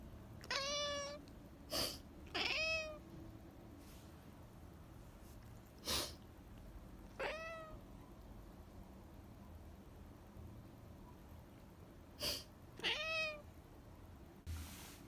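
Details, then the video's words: Indoor domestic cat meowing in reaction to its owner sniffling: four short, clear, harmonic meows, some rising then falling, spaced through the recording, mixed with sharp sniffs and clicks and a low room hum. "my cat doesn’t like me sniffling"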